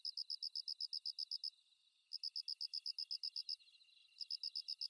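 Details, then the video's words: Kusa-hibari cricket (Svistella bifasciata), an insect that calls mostly from dawn through the morning, gives gentle, very high, evenly spaced chirping pulses in runs of about a dozen, with short pauses between runs. A faint high buzz of other insects sits underneath. "心地いい クサヒバリの鳴き声"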